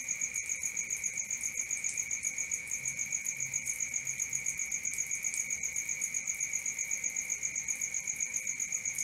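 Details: Crickets singing at night in a dense, even chorus, shrill high pulses repeating around four times a second above a faint lower whine, otherwise quiet.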